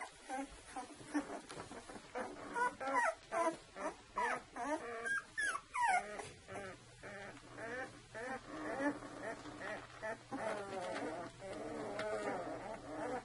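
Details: Saluki litter at two weeks old: puppies give overlapping short whines and yelps in quick, uneven succession, with faint human voices in the background.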